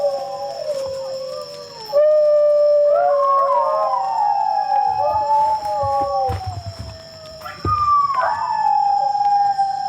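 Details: New Guinea singing dogs, captive animals on a tape played in the wild to elicit a response from wild dogs; wavering, sliding tonal howls of several voices overlapping, rising and falling between long held notes, with a steady high background hum.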